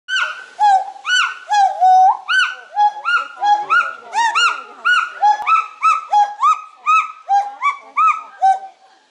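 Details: Pileated gibbon (Hylobates pileatus), song.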